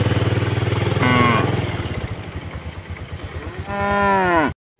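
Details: Tame cows out grazing with their calves; a brief moo over a throbbing engine rumble, then a long, strong, richly harmonic moo that falls in pitch before the sound cuts off.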